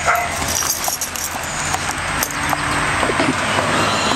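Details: Pet dogs at play, Bella the American Staffordshire terrier, Orson the red heeler pup and Patches the Border Collie, giving scattered short barks over a steady low hum of background noise.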